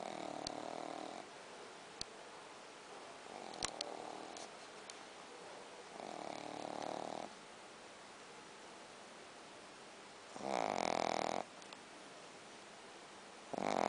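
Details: Logan, a Shih Tzu, snores in a small room, drawn-out rasping breaths recurring at irregular intervals, the later ones louder and harsher, with light clicking in the quiet gaps.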